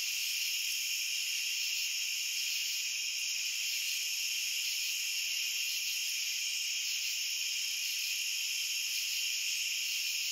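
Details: Dense cricket chorus forming a continuous high, shimmering drone in stacked bands, even in loudness throughout, with a few faint flickers at the top and nothing else audible.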